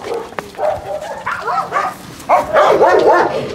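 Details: Dog sounds at a husky kennel, recorded while Trigger, a dog that has loved huskies since puppyhood, practises recall from free play: wavering, tonal whines and yelps in two bursts, the second louder, with a person calling briefly afterwards.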